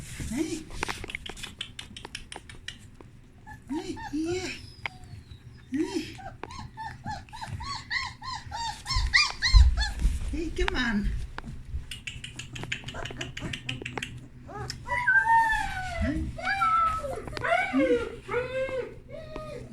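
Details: Young puppies roaming a whelping box after its blankets were changed; short bent whimpers and squeals come in clusters between a woman's spoken remarks, building near the end into a dense run of rising and falling squeaks.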